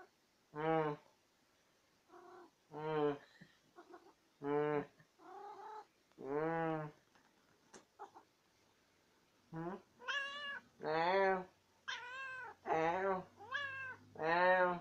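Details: Talkative female domestic cat, a chatterbox that always gets the last word in, giving a string of short harmonic meows and chirrups, some rising and falling, in two bursts with quiet gaps, faster and higher toward the end.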